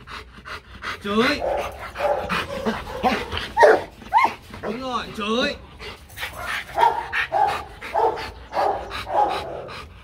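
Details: Rottweiler Marvin, on his first session of playful training to bark on command, barks again and again at an uneven rate, roughly twice a second, mixed with human talk and voice.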